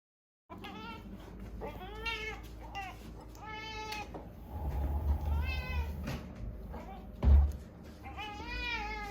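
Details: Female house cat meowing insistently around mealtime, a run of five or six clear, arched meows, some short and some long and wavering, over a low indoor rumble with a brief thump.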